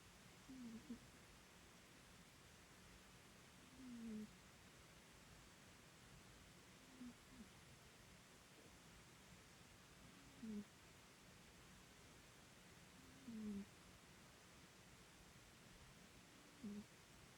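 A Bengal cat snores softly, each low, rough breath coming about every three seconds.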